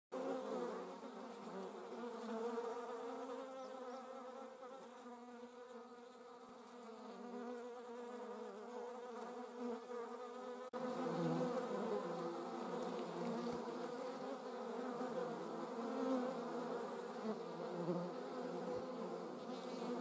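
A hornet's steady, low droning buzz with rich overtones, rising slightly louder partway through.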